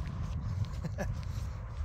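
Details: An old Husky, a dog named Sherpa, finds his voice again after an unexpected surprise on an outing in Cornwall. He gives a brief wavering, rising-then-falling yelp in the middle, over a steady low outdoor rumble.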